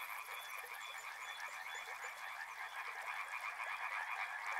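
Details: Many frogs calling together in a continuous wall of rapid, trilling croaks stacked in two mid-to-high bands, with steady loudness and no gaps, plus a brief high ticking at the start.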